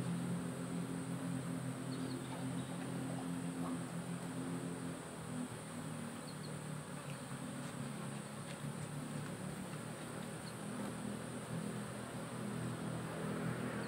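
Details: Honey bee colony kept in a hive box under modern beekeeping, monitored by the SAMS smart apiculture system for hive temperature and weight; a steady low droning hum with layered tones runs throughout, under a faint constant hiss.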